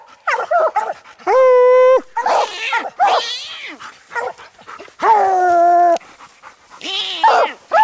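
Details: Coon dogs treed on a ringtail raccoon while hunting, old and young dogs together: long drawn-out bawling howls with a steady held tone, mixed with shorter choppy barks, and a man urging one dog on.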